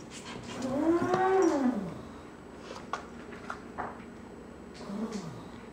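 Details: Indoors, foster kittens climb over a cardboard wall out of their play area while a golden retriever looks on. A long arching meow sounds early, then a brief falling mew later, amid soft thumps and scratching.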